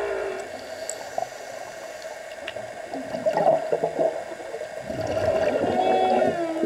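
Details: A humpback whale sings underwater, recorded during a dive, with drawn-out moans and upswept whooping notes around a steady tonal hum, and bubbling, gurgling water sounds throughout.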